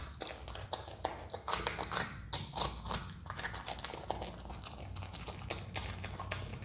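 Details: A pet Himalayan marmot chews a carrot noisily, with crisp, irregular crunches and gnawing clicks.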